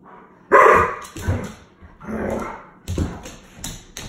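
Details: Jasper, an 8-year-old Alaskan Malamute from Saskatchewan, Canada, talks while playing with a small piece of rawhide: a loud opening woo-like vocalization, then several shorter grumbling yowls and yips, with light tapping and thumps between them.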